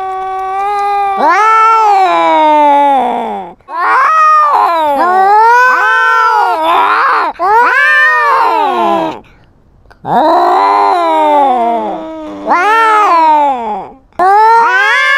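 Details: Cat with a GoPro fighting to assert dominance over its territory; repeated loud caterwauls, each wavering up and down for one to three seconds, broken by short silences, with harsher, noisier moments between them.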